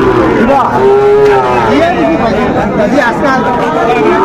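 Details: Sahiwal bull calves for sale at a Cumilla livestock market give a short, even-pitched moo, with traders chatting loudly all around.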